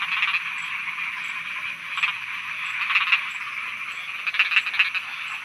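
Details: Frogs calling at night in Thailand, a steady buzzing chorus of overlapping pulsed croaks, with sharper individual notes standing out near the start, around two and three seconds, and in a cluster near the end.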